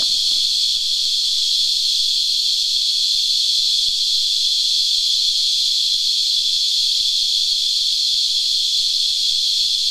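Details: Cicadas, also called Christmas Beetles locally, massed on a tree and drinking its sap, keep up an unvarying piercing whine for the whole stretch, with faint ticking sounds below.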